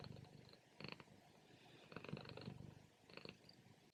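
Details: Domestic cat napping in the morning, short loud rumbling purr bursts with raspy breaths, three strong pulses across a few seconds, close and low-pitched.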